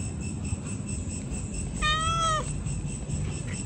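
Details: Pregnant cat giving a single loud meow, about half a second long, clear and harmonic, rising slightly then dropping at the end, over a steady low rumbling background noise.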